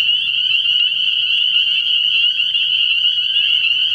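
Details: Spring peepers massed at a frog pond on an early-year night, producing a dense continuous high-pitched peeping chorus with faint low hum below.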